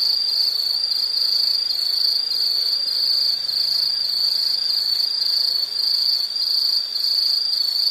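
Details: Loud, unbroken high insect trill with quick pulsing beats, roughly two pulses a second in its swelling rhythm, set against a soft natural background.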